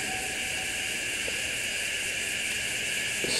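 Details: Redeye cicada at Organ Pipes National Park, a steady, unbroken, hissing buzz held without pause or change in rhythm for the whole stretch, with no other clear sounds.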